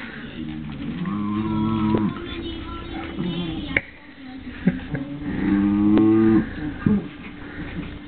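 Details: Adult Cairn Terrier indoors, growling while guarding her bone from a puppy that ignores the warning; long, low rumbling growls in two sustained bouts of a few seconds each, with a short break and small knocks between them.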